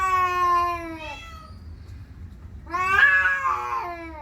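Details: Male domestic cat in territorial aggression toward another cat outside: two loud, wavering, nasal yowls with a quiet gap between them, the second rising sharply before falling away.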